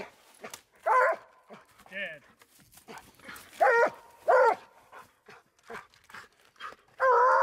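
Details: Treeing Walker Coonhound on a coon hunt, giving a few loud, ringing barks spaced irregularly, with a man's voice and rustling between them.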